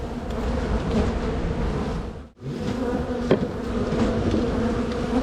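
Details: Honey bee colony droning during a spring hive split. The loud steady hum drops out sharply for a moment around the middle, then resumes at full strength, with a sharp tap shortly after.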